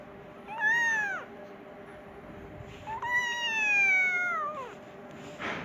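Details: Persian kitten meowing for its mother, hungry: a short arched meow followed by a long, slowly falling drawn-out cry, then a brief rustle at the end.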